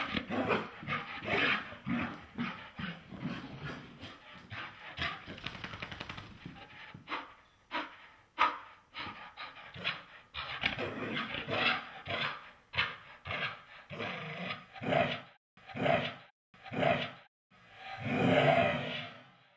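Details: Irish Terrier, male, mad after getting a bath indoors: a long string of grumbling, growly vocalizations and short barks, irregular at first, then spaced whiny barks about once a second, ending in a drawn-out howl-like grumble.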